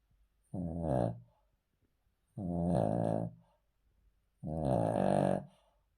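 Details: A male Cavalier King Charles Spaniel, asleep on a cool floor, snores with low, buzzy, rattling breaths about every two seconds; a vet's heart echo had found nothing to worry about.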